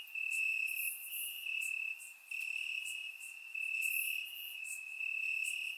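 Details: On a warm summer night in Bulgaria, crickets chirp in grass, producing a constant high-pitched trill with louder bursts of rapid pulses alternating with quieter stretches, recorded in surround sound.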